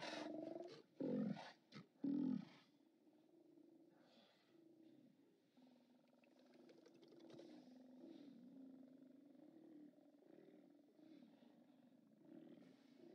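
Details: Steller sea lions roar at the OrcaLab haulout on 29 October 2017: three loud, rough bursts in the first few seconds, then a low, steady murmur of distant groaning from the colony for the rest.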